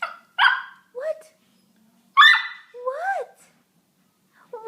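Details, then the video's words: Puppy making talking-like sounds: short yelps and whines, a few of them sliding up and then down in pitch, come in uneven bursts separated by pauses. "The talking puppy"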